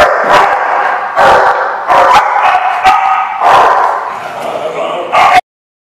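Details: Barking dogs on 4/10/15 give loud, harsh, overlapping barks in quick clusters, about five bursts over five seconds, ending abruptly in silence.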